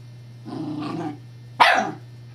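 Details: Evangeline the Scottish Terrier, at play with her teething pacifier toy: a short rumbling growl followed by a single loud, sharp bark, over a low steady hum.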